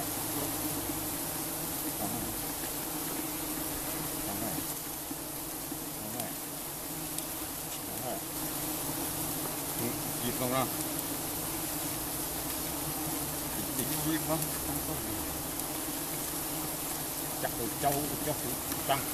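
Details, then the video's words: Swarm of giant honey bees during honey harvesting in Cambodia, a continuous thick droning hum with stacked low tones, steady in loudness, with faint clicks and brief rustles over it. "Harvesting Honey from Giant Honeybees in Cambodia"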